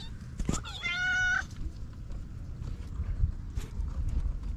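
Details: Cat meowing beside a white mother cat with four small kittens; one clear, high, tonal meow lasting about half a second and held level before dropping away, preceded by a sharp click, over a low rumbling background.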